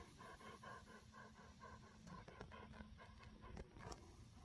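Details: Dobermann named Jeff, a pet dog, out enjoying the last sunshine at summer's end as it turns colder, happily wet: quick rhythmic panting breaths, roughly five per second, steady for the whole stretch over a low background rumble.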